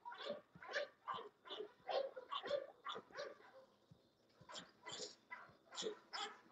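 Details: English Bulldogs at a kennel giving a quick run of short, rough, broadband barks and grunts, about two or three per second, in a loose uneven rhythm with a brief lull in the middle.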